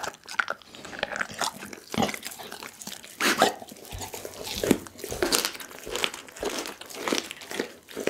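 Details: Indoor close recording of the pit bull Daggy devouring a whole raw chicken, captured on an Insta360 ONE R. Loud, sharp bone crunches and biting snaps come in uneven clusters, separated by softer smacking.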